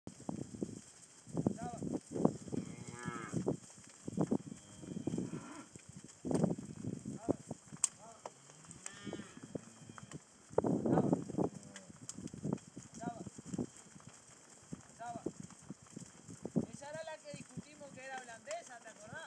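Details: Herd of 43 cows being fattened on pasture near a national route close to Minas, older Hereford cows with young first-calf Angus and white-faced heifers; repeated deep lows, several rising bawls, constant high electrical hiss and brief human voices.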